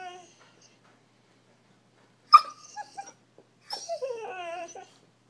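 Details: Bullmastiff puppy trying to talk indoors: a sharp yip, then soft whimpers, then a drawn-out wavering whine that bends up and down for about a second.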